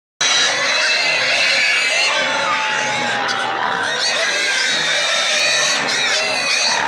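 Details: Pigs and piglets, safe but very excited, screaming together: a continuous, dense wall of shrill, high squeals overlapping without pause for the whole stretch, with occasional sustained tonal shrieks standing out above the din.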